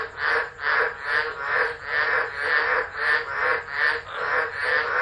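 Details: Frogs calling through a tropical storm at Driver in Australia's Northern Territory on 13 December 2013, captured by an unattended phone; broad grating croaks repeat in even swells, about ten in five seconds, with no other clear sounds.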